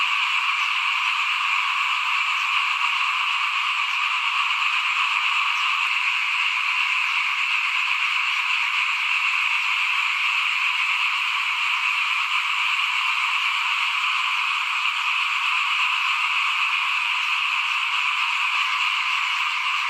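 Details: Frogs calling in front of a house at rice sowing time in 2021: a dense, unbroken chorus of many overlapping callers, a steady shimmering wall of trills holding an even level for the full twenty seconds.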